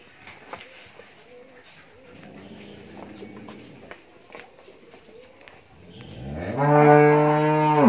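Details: Thirteen-month-old Friesian heifer calf on a dairy farm in Bhangura, Pabna, Bangladesh: after quiet shuffling and faint low murmurs, a loud, deep, rich moo swells in near the end and is held steadily to the close.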